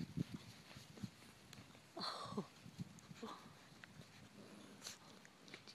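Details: European Basset Hound puppies, four and a half weeks old, from the litter of Harmony and Garth, playing indoors; short grunting yaps and a brief squealing bark near the middle, with sniffing and scuffling between them.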